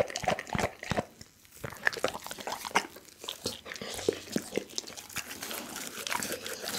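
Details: Pit bull named Doggy chewing a whole raw chicken indoors: irregular crunches and crackling bites with short gaps, close and clear, no other sounds.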